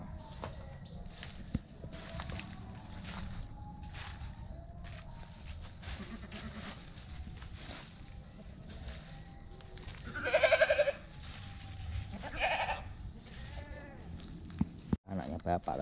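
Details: Qurban goat awaiting sacrifice in a backyard garden; two loud, wavering, nasal bleats at about ten and twelve seconds, with children and adults chatting throughout over a steady background hum.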